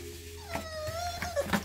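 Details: An 11-year-old male Pekingese whimpers, sob-like: a thin, wavering whimper that rises, holds and slides down over a second.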